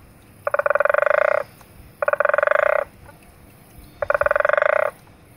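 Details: February 2015 recording of a frog at Zulu Nyala, KwaZulu-Natal, South Africa: three evenly spaced buzzy, rapidly pulsed croaks about a second each, separated by quiet gaps of roughly a second.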